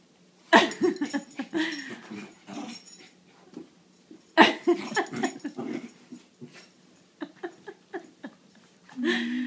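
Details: Quattro, a five-month-old Alaskan Malamute, playing indoors with Buddy, a seven-year-old Bichon: loud harsh grumbling bursts near the start and middle, each trailing into scattered snorts and scuffling, with a low moan at the end.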